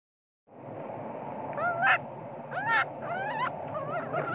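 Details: Spoiled baby monkey crying and screaming, angry with its mother when sleepy: wavering, harmonic squealing cries rising and falling, several overlapping in quick succession over a steady background hiss.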